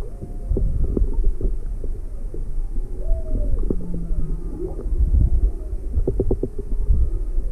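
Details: Inquisitive juvenile humpback whale near Maui on February 17, 2020, with its mother close by; a few wavering tonal moans and a long flat low note midway through, among clicks and deep rumbling background noise.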